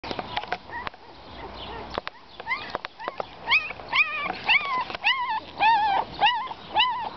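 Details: Several abandoned puppies left in a box: high, arching whimpers and whines in rapid succession, each bending up and down in pitch, growing louder and more frequent, with occasional clicks and handling noise.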